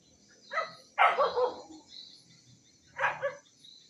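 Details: Barking of an Indonesian village dog (anjing kampung), filmed 18 November 2022: one short yap, then a loud rough double bark, silence, and a final sharp bark, with high steady hiss behind.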